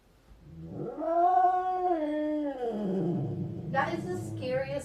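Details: Domestic cat fighting its own reflection in a mirror: a drawn-out harmonic yowl that rises, holds, then slowly sinks over about two seconds, followed by a lower growling tone and a short noisy burst.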